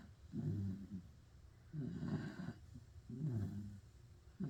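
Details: Pit bull asleep and snoring: three long, coarse, low-pitched snores, each about 0.7 seconds, spaced roughly every 1.4 seconds in a quiet room.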